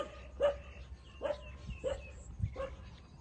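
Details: Street puppies, 27 days old, suckling milk from their mother; short yelping cries near 600 at regular intervals, four in about three seconds, over a low background hum.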